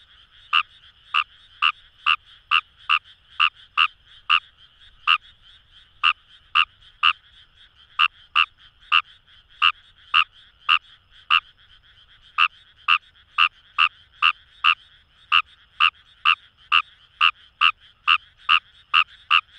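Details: Rice-paddy recording of Fejervarya kawamurai in Itoshima, Fukuoka, Japan: bursts of quick, repeated croaks separated by short pauses, several frogs audible, set against an unbroken background chorus.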